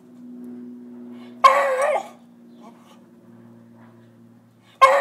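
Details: Beagle barking at squirrels: two short, loud, harsh barks about three seconds apart, over a steady low hum.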